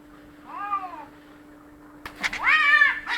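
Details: Cats in a fight: a short rising-falling yowl, then after a pause a loud, harsh, wavering screech with rich overtones, ending abruptly; steady low electrical hum underneath.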